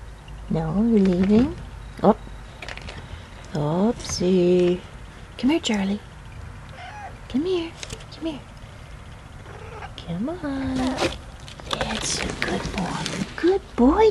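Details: Three-month-old Siberian kitten playing indoors, recorded 21 September 2013: about eight short rising-and-falling meows, some high and squeaky, spaced one to two seconds apart, with a person talking softly and household noises.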